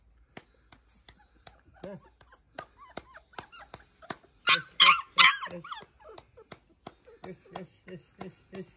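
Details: Newborn Labrador Retriever puppies making thin, high whimpering squeaks in short repeated bursts, with a louder run of cries in the middle, over regular sharp clicking taps and a soft human voice.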